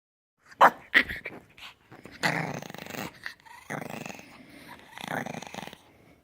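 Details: A puppy making weird noises: rough, grumbling growls in three drawn-out bursts of about half a second to a second each, after two short sharp sounds near the start, with a few human voices heard nearby.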